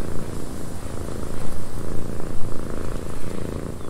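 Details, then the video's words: Domestic cat purring in a windy cabin. A low continuous throb swells and fades in uneven waves, mixed with gusting wind that rises and falls. "Cat Purring in a Windy Cabin"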